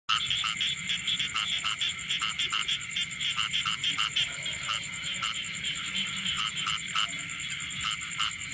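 A dense chorus of frogs giving shrill, pulsing calls, several overlapping at once.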